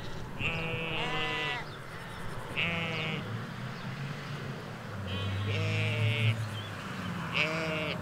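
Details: Ewes and lambs in a field in the Hampshire countryside, recorded in stereo beside a hedge away from the road: several wavering, harmonic bleats, some high and some lower, come in bursts about two seconds apart over a low rumble.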